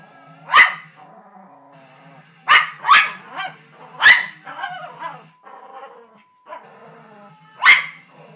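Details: Poodle barking while watching a bull on television: four sharp, bright barks spread over eight seconds, single or in a quick pair, with faint television sound and music running underneath.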